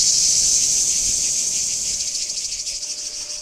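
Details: Cicadas at Kardamyli in 2013, spring emergence season: a dense, hissing buzz high in pitch, loudest at the start, then fading slightly with faint rapid pulsing toward the end.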